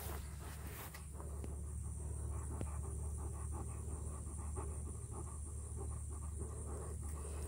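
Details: Alaskan Malamute on a sunset hike in Florida, watching deer, panting in quick, soft, steady breaths of about two or three per second over a constant low rumble of wind or distant traffic.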